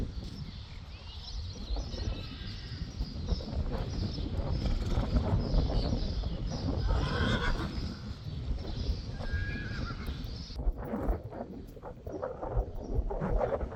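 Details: Friesian horses, colts and foals with mares, some foals with the wrong mothers: dense, irregular low thudding of hooves moving quickly over ground, with brief whinny-like tones around the middle, then quieter, scattered steps after ten seconds.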